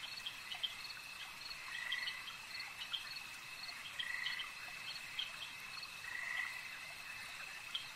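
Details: Frogs croaking at a lake: a rasping mid-pitched burst returns roughly every two seconds, about four times, against a continuous high-pitched insect-like hum and sparse sharp clicks.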